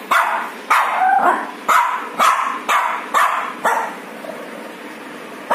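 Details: Shih Tzu puppy at a home grooming session, barking repeatedly: seven or eight short, sharp yips spaced about half a second apart, each fading quickly against a constant background hum.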